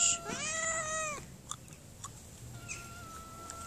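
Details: Hungry mother cat being hand-fed gives one loud, clear meow lasting about a second, then quiet background with faint rustles and a thin steady tone.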